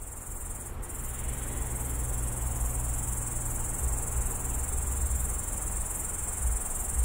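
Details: Loud grasshopper singing at night from a bush beside a road at the city edge of Tallinn, phone recording: a steady, unbroken high-pitched shimmering buzz that never pauses, over a low rumble of distant traffic.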